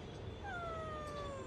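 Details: Pet cat, its owner asking whether it has eaten its food; one drawn-out meow about a second long, starting sharply then sliding slowly downward in pitch, over a steady low background hum.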